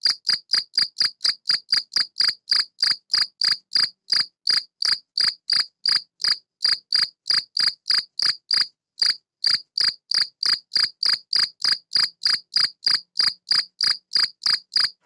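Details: A European field cricket (Gryllus campestris), a male living in a tortoise greenhouse that amplifies its sound, stridulates mainly with its wings to call females, giving a steady run of bright, shrill chirps, about three each second.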